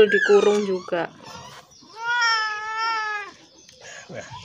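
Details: Crying cat suffering severe scabies, hungry and thirsty, which came to a home seeking help, lets out one long, level, plaintive meow of over a second after brief chatter from people.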